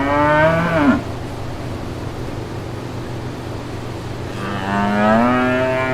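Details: Two moos from brown cows among calves in a green pasture: a brief call ending in a downward drop, then after a pause a longer, smoothly rising low, all over a steady hum.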